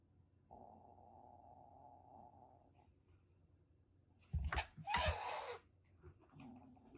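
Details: Calico kitten of about six weeks, rescued in Kagoshima, Japan, in a threatening mood: a soft, even growl for two seconds, a pause, then two forceful hissing spits with a brief rumble after.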